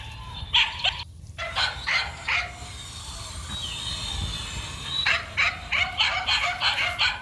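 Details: Male dog barking while running: a few quick barks, a short lull, then a run of about six evenly spaced barks roughly half a second apart, with a low background hum.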